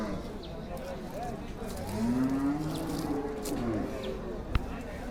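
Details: Cattle at Chupair Hat, a busy Bangladeshi cattle market, in 2024 ahead of Eid. One long, low, drawn-out moo swells and then fades over a steady crowd murmur, with a sharp knock near the end.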